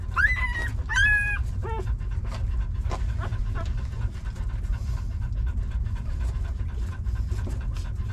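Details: Puppies nursing in their mother's arms give a few high, squeaky whimpers with rising and falling tones over the first two seconds, then soft smacking suckling noises over a steady low rumble.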